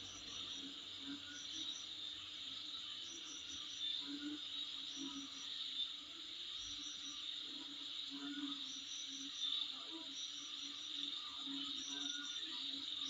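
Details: Insects calling outside in front of a home: a steady, shrill high-pitched drone runs unbroken, overlaid by short pulsed chirps in brief bursts every second or two, with faint low rumbles beneath.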